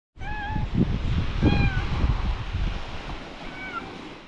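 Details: Stray cat named Belyanochka meowing outdoors: a few clear, slightly rising meows with a wavering tone, then a shorter meow near the end, over a steady low rumble like wind or distant surf.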